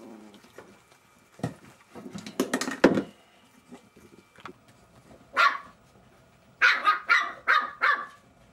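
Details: Jack Russell Terrier puppies at play indoors: short rough grunting noises, then a run of sharp, high yipping barks, about five in quick succession near the end.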